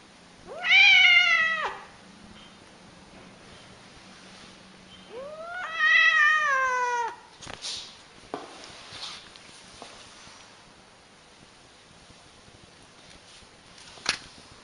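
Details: Angry cat giving two long, drawn-out meows, each about a second long, rising then falling with a strong harmonic stack, about four seconds apart; a few soft thumps and clicks follow in a quiet room.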